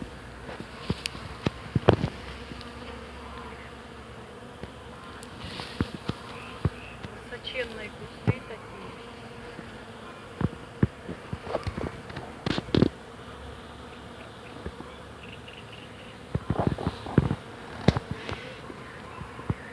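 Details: In spring, many bees buzz among a flowering hawthorn in a steady low hum, with brief clicks and rustles over it.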